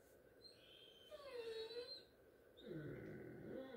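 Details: Great Dane crying for attention indoors before going to bed: a drawn-out, wavering high whine that dips and rises, followed after a pause by a second rougher moaning whine; a person speaks nearby.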